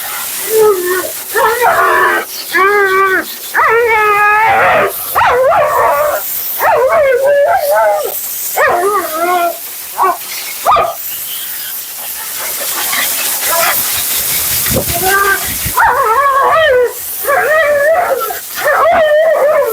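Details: Siberian Husky Mila delivering nonstop commentary while being groomed, a long series of short, bending, wavering yowls and whines roughly every second, briefly pausing mid-way under loud blowing noise, then resuming.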